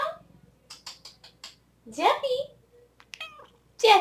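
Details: Female pet cat indoors lets out a rising-then-falling meow in the middle, then a brief sharp meow at the end. A woman talks to her in short bursts before and between the calls.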